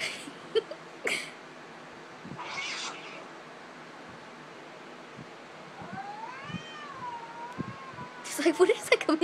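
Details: A mother cat, upset by cat videos with light-saber sounds, is ready to fight. She gives a long, wavering yowl that rises and falls, preceded by noisy bursts and sharp clicks, with louder knocks at the end.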